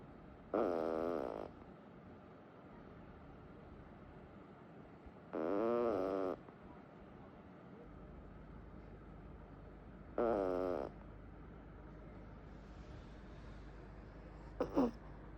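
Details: A sleeping Rabbit (Kaninchen) Dachshund puppy, worn out from play, snores in slow, wavering breaths about every five seconds.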